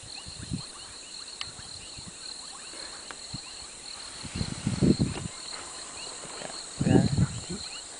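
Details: Lion roaring near a safari jeep in South Africa: deep, low grunting bursts, loudest around five and seven seconds, over a steady chorus of crickets and a high insect whine.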